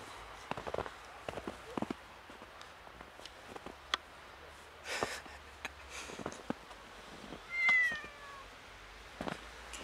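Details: A slightly scared kitten meeting snow for the first time utters a single short, bright meow late on, surrounded by scattered crackles, clicks and soft rustling thuds.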